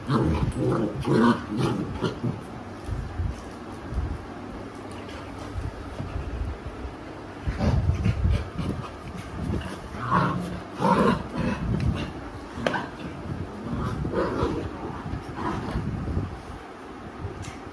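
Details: Alexa the Labrador, a mother dog teaching her unruly puppies a lesson, gives low intermittent growls and scuffling snarls mixed with higher whimpering yips from the pups, over a rumbling background.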